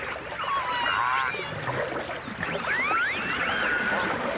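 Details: Dolphins and orcas, from a 1989 stereo recording, with overlapping whistles sweeping up and down, some wavering, packed densely into a few seconds.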